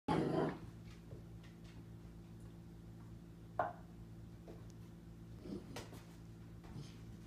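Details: A 4-month-old female Catahoula Leopard Dog puppy barks at her reflection in a bathroom mirror with a loud opening bark, then scattered shorter, softer yaps.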